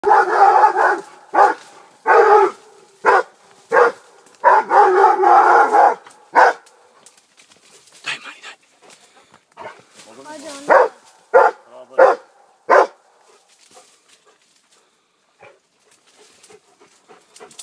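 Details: Rhodesian Ridgeback named Armani, 15 months old, with a wild boar: bursts of loud, harsh barks in quick runs for about six seconds, then scattered single barks separated by pauses, fading toward the end.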